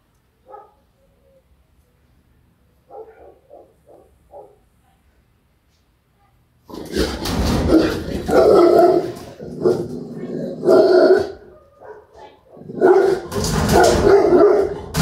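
A Rottweiler gives soft whines, then bursts into deep, loud, rapid barking.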